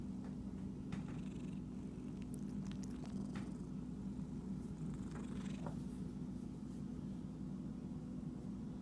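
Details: Pet cat described as itchy, purring in a steady deep drone while repeated scratching and rustling bursts cluster in the first six seconds.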